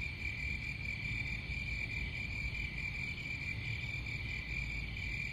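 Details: Shrill continuous cricket trill with faint pulsing, held at one pitch throughout, above a dense low-frequency background hum.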